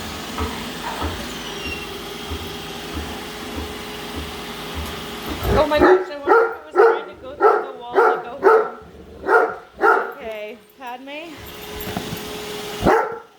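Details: Padme the Great Dane, hating the new Roomba, follows and barks at it; steady machine drone and faint talk give way to a rapid run of about ten deep barks, then a few softer yelps.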